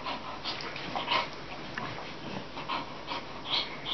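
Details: Two young Bull Terriers, a one-year-old female and a slightly older male, reunited after ten months, cuddle and gnaw at each other in play. Soft snorts, huffs and scuffling breaths come in short irregular bursts.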